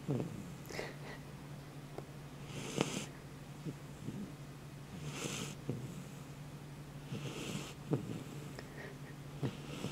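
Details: Sleeping Dobermann puppy snoring: soft, breathy, rasping snores recurring roughly every two to two and a half seconds, over a steady low hum.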